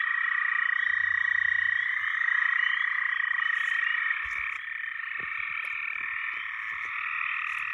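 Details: A massed frog chorus gives a continuous rasping, trilling wall of sound at middle pitch, briefly swelling and then easing slightly after the fourth second. Scattered sharp clicks and faint low rumbles sit beneath it.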